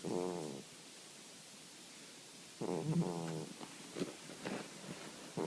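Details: Sleeping cat snoring indoors: raspy, pulsed snores with harmonic buzz lasting about half a second, a long drawn one near three seconds, separated by quiet breathing pauses, with small clicks between.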